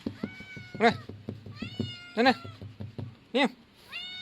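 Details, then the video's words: Young male kitten giving loud steady meows, several drawn out and level, while a person talks over and between them in short bursts. "Smart boy baby cat"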